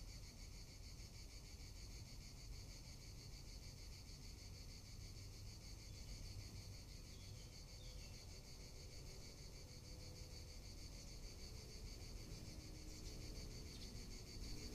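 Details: Summer cicada chorus in Tuscany, a continuous high-pitched rasping drone with fast even pulsation that never pauses, heard clearly against a quiet background with only a soft low ambient murmur.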